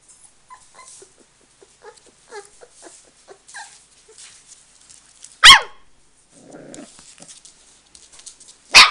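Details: Five-week-old Samoyed puppies with their mother Meritähti make soft, short squeaky whimpers that bend up and down, scattered through a quiet room, broken by two sudden loud sharp bursts midway and at the end.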